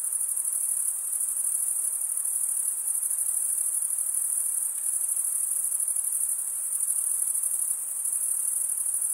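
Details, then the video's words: Crickets chirping by stridulation, males rubbing one wing's edge across the toothed vein of the other: a dense, continuous high-pitched shimmer with a fast pulsing texture, steady throughout, with no other sounds. "Most relaxing cricket sound"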